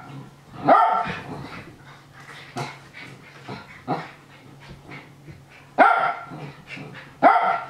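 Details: Nana the Japanese Spitz cheerfully barks as Ruru and Milmel wrestle. Four crisp barks come at irregular intervals, the first and last two the loudest, with quieter yips, rustling and a low background hum.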